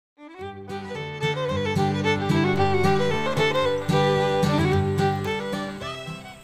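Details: Lively bluegrass-style fiddle and guitar music plays throughout, with bright bowed notes over a steady plucked bass rhythm and no animal voice.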